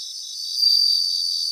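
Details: Bell crickets singing in a grassland in Japan: a steady, high, shimmering trill with a slight swell in loudness midway and no other sounds.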